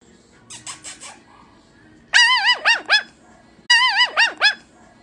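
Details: Puppy giving clusters of high, squeaky yelping cries with bending pitch, three bursts of four or five notes each, the first softer, the latter two loud and harmonic-rich, over a quiet background.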